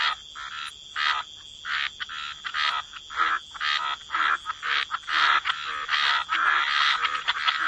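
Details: A wetland chorus of croaking frogs, many overlapping harsh, buzzy calls pulsing in quick succession and growing denser toward the end, with a thin steady high hum behind them.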